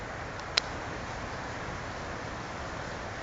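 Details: Steady broadband hiss throughout, broken by a single sharp click near the start, with no animal voice present.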